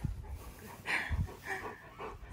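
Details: Siberian husky K'eyush, a large pet dog, wary of a small statue in a garden, gives short whining vocal sounds, one longer and louder near the middle, then softer repeats; a person speaks reassuringly nearby.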